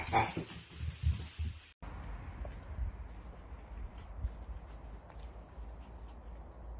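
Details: Dachshund, from a compilation of funny puppy moments: a few short, sharp barks packed into the first two seconds, then an abrupt cut to steady low rumbling background noise with no further barking.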